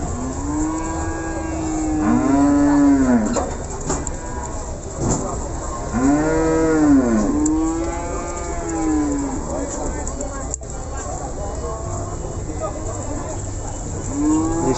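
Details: Simmental cattle at a cattle market in Ambarawa, lowing repeatedly: long arched moos around every four seconds, with steady crowd chatter and market noise behind.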